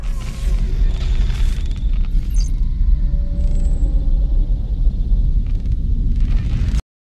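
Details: Loud booming low rumble with faint tonal music above it, ending abruptly in silence, with no animal voice.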